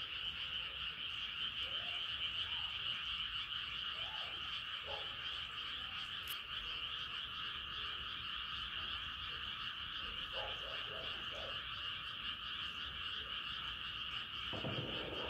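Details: Night-time frog chorus under a rising moon, a continuous shimmering wall of high trills from many callers, with a few brief lower croaks and a soft knock near the end.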